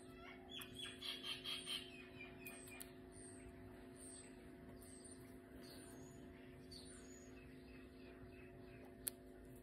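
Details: Coco, a pet guinea pig, during nail clipping: about six short, high, harmonic squeaks in a quick, even row early on. A faint steady hum and soft handling rustles follow.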